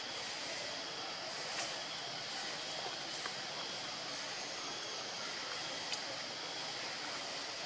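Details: Constant broad hiss like rushing water or wind noise, with a few faint clicks and no animal voice.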